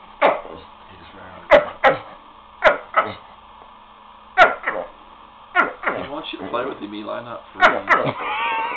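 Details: Pet dog Lucky calling the others to play with his funny bark: spaced sharp yelps, then a run of rough, gurgling barks; a person's voice briefly heard toward the end indoors.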